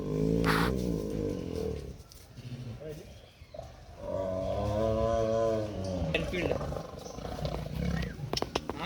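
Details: Tiger giving two long, deep, tonal roars, the first lasting nearly two seconds and the second about two seconds after a pause, followed by sharp clicking and knocking sounds.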